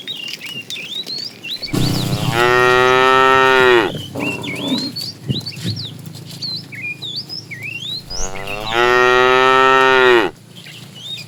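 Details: Herd of tame cows driven every morning to green grassy fields; two long, strong moos about two seconds each, some six seconds apart, with a softer grunt between and constant bird chirps behind.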